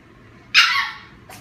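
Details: German Shepherd puppy teasing another puppy with a toy; one sharp, high bark lasting about half a second, with a fainter short yip just after it.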